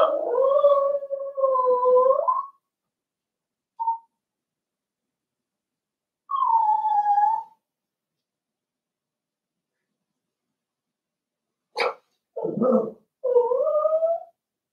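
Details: Seven-week-old blenheim Cavalier King Charles Spaniel puppies, a litter of five in a home puppy pen, give drawn-out tonal howls of about two seconds each, then short yips and a final wavering whine after long silent gaps.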